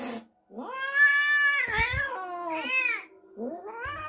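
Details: Cat reacting after an unfamiliar kitten was brought home: long, drawn-out wailing calls with rich harmonics, the first held over a second, then a wavering cry and a shorter rising wail after a brief pause.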